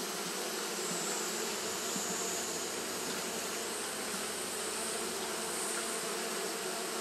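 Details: Japanese honey bee colony fanning through a hot day, a thick, even hum of many wingbeats that never pauses, with slight flickers of individual buzzes passing low beneath the steady drone.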